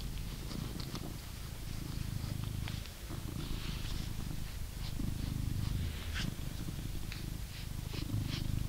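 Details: Purring blue British Shorthair, a male cat in England, enjoying a brushing session; continuous low throbbing purr with rapid brush swishes and small scratchy ticks over it.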